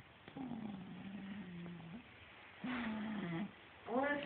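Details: Rico the cat snoring: a steady, low droning tone lasting about a second and a half, a shorter drone after a pause, then a brief higher, rising nasal sound at the end, over quiet indoor background.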